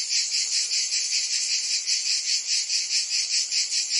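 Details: Cicadas singing in summer in Provence, France: a dense, shrill buzzing chorus held high and steady, pulsing in quick regular throbs about two or three times a second, with no other sounds.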